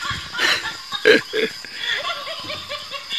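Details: Human snickering laughter and brief speech, with no animal call heard.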